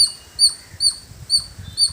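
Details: A village squirrel gives a steady run of thin, piercing chirps, about two per second, with faint low rumbling beneath.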